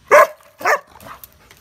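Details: Female Rottweiler Roxy on guard command gives two loud, sharp barks about half a second apart, followed by faint softer sounds.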